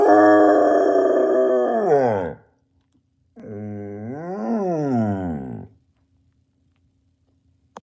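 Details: Basset Hound howling indoors: two long, rich, deep bays, the first sliding steadily downward for about two seconds, the second after a pause rising then falling in an arched contour; quiet room otherwise.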